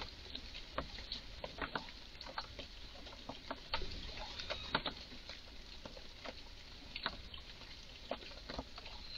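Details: A highly agitated red squirrel in a garden gives strange calls: sharp, dry, broadband chucks repeated irregularly, often two or three close together, over quiet garden background.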